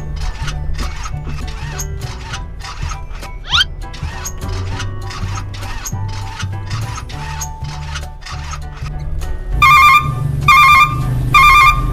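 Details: Loud music with a steady beat, with bursts of ringing, telephone-like tones near the end, at a cattle pen; no animal voices can be picked out.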